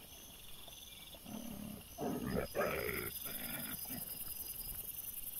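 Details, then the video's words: Trail camera recording of young wild boar piglets, 6 September 2024: a loud, harsh run of squealing grunts rising and falling for about three seconds, then fading, with constant high insect buzzing behind. "CINGHIALI cuccioli - puppies WILD BOAR"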